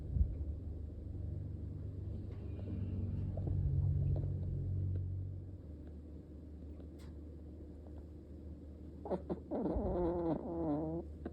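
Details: Daikichi, a male Munchkin cat born 8 September 2023, short-legged and long-haired, silver tabby and white, kept as a house pet. A low indoor rumble runs throughout, then near the end comes a wavering, warbling meow lasting about a second and a half.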